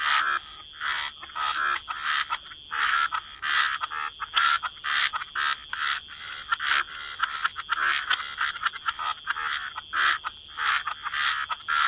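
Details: Gentle waterside chorus of croaking frogs in wetlands. Rapid rasping croaks repeat steadily, several callers overlapping, broken by short silences every second or two over a longer stretch.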